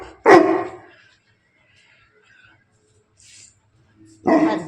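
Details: Muscular male Bully Kutta at Bangalapudur, described as a playful rowdy, barks twice: a sharp, heavy bark at the start and another about four seconds later, with quiet background sounds between.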